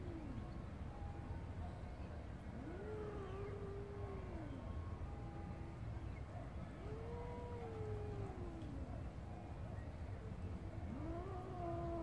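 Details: A garden cat playing with a grasshopper gives drawn-out meows, each rising then falling over about two seconds. Three are heard, well spaced, over a steady low background rumble.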